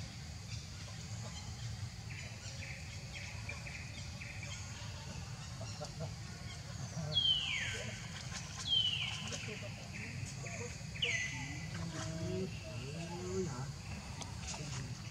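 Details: Hungry baby monkey Leo cries while begging its mother for milk: faint short whines early, then three bright, high downward-sliding wails a second or two apart, over a constant low rumble of outdoor noise.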